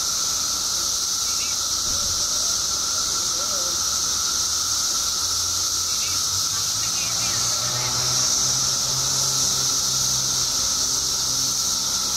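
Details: Billions of periodical cicadas emerging after 17 years underground in Illinois, singing as a dense, unbroken chorus: a shrill high hiss overlaid with a steady lower droning whine, with faint human voices and low rumbles beneath.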